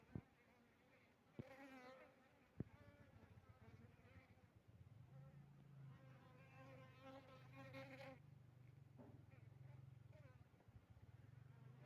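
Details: Asian honey bee colony alongside Apis mellifera drones in an experiment at a honey bee base in Bener Meriah, Aceh, 6 November 2021; a deep hive hum swells louder midway, with wavering higher buzzing tones and a few sharp knocks.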